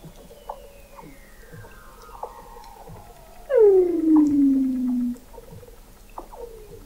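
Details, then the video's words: Weddell seal call recorded November 2017 beneath the sea ice of McMurdo Sound, Antarctica, by an observatory 21 m below the ice: one loud, downward-gliding chirp of about one and a half seconds over quieter, fainter descending sweeps. "Song of the Antarctic Weddell Seal"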